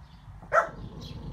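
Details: A female French Bulldog, excited at seeing a bunny across the fence, gives a single short, high yip of excitement.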